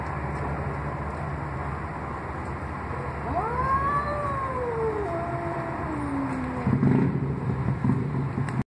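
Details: Cats meowing at a door. One long, drawn-out meow rises quickly, then slides slowly downward over about three seconds. A steady low rumble persists throughout, with a brief louder noise at the end.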